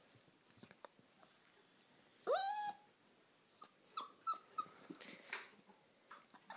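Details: Poodle puppy named Daisy indoors, digging under a couch for a ball: one loud rising whine that levels off, followed by a few short, quieter whimpers, with scratching and scuffling noises around them.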